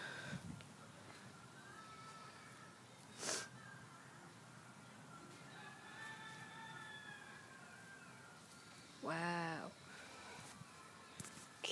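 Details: A female pet cat indoors after catching a bleeding snake gives one drawn-out, arching meow near the end, with a person's voice urging her on and faint background tones.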